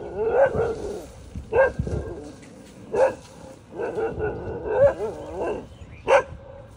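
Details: Dogs fighting with other dogs: six loud, harsh bark-snarl bursts roughly every second, with growling between them.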